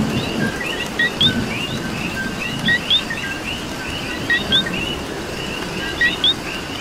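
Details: Coquí frogs calling in the rain in Puerto Rico: a loud nearby two-note call, a short low note then a high rising whistle, repeats every second or two over a dense chorus of other frogs and steady rainfall.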